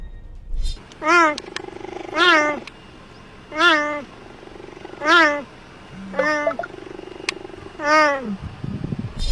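A cheetah gives six short, high, cat-like meowing chirps, each slightly falling in pitch, spaced about one and a half seconds apart over a faint steady hum.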